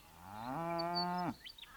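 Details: Non-native cattle, present in great numbers in Australia's eastern outback; a single drawn-out moo that rises in pitch, holds steady and harmonic-rich for under a second, then drops off abruptly, with faint wind noise behind.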